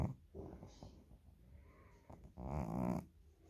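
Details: A domestic cat snoring: soft, rough breathy rasps, with one louder, longer snore near the end before the sound fades back to a low hush.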